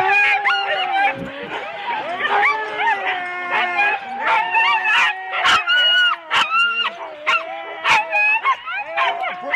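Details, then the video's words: Husky sled teams of four dogs waiting at the start at Rendlesham, January 2016: a chorus of wavering, high howls and yelping barks overlapping, with sharp bark bursts punctuating the eager noise. "4 dog Husky teams - the complete start"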